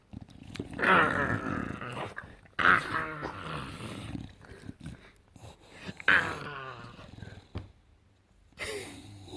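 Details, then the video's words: During couch play, English Bulldog Enzo lets out drawn-out raspy growling grumbles with squeaky high notes, rising and fading in several bouts; a person speaks softly near the end. "Bulldog making weird sounds looking like Gremlin"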